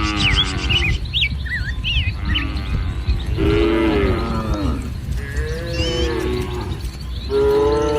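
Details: Cattle herd grazing in green paddy fields on a sunny morning; low, overlapping lows and grunts from several animals, partly masked by birds chirping and a heavy low rumble.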